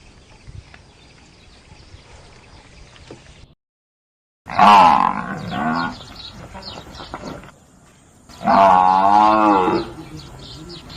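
A water buffalo gives two deep, drawn-out moaning calls, each lasting about a second and a half.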